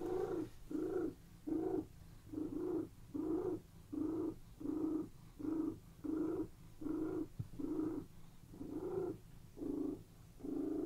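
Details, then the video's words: Relaxed domestic cats purring while lying on a bed; an even, pulsing purr broken into short regular bursts roughly twice per second, low and soft with a steady breathing rhythm. "CATS PURRING RELAXING CAT VIDEO"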